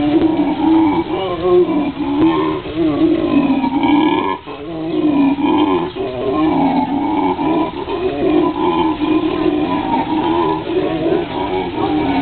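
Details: At the National Zoo in Washington DC, an excited howler monkey gives a deep, rasping roar that rolls on almost without pause; the owner suspects its intentions were less than admirable.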